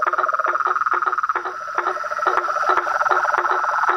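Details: Chorus of toads, frogs and treefrogs: short pulsed croaks tumbling over one another, some quick bursts of rapid notes, above a steady high tonal drone that runs through the whole stretch.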